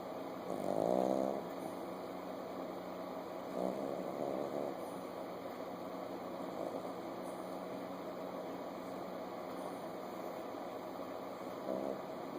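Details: Chihuahua puppy asleep with its eyes open, snoring: three short rasping, nasal snores near the start, around four seconds and near the end, with a low steady hum in the quiet stretches between.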